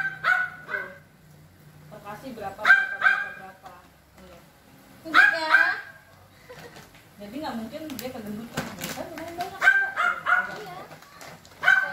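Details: Jack, a neighbour's energetic, playful and friendly pet corgi, at play: short high yelping barks, several in quick pairs, come in bursts spaced a few seconds apart, with people talking in between and underneath.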